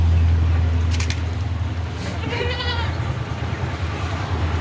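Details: Beetal goat at Zam Zam goat farm, Roorkee, giving a single short, wavering bleat midway, set against a steady low engine-like hum and background rumble.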